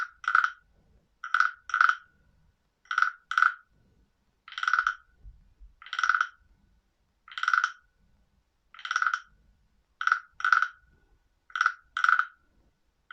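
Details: Frog calling: clear, ringing clink-like notes, given singly or in quick pairs, repeating every second or so in an otherwise quiet setting with faint low rumbles.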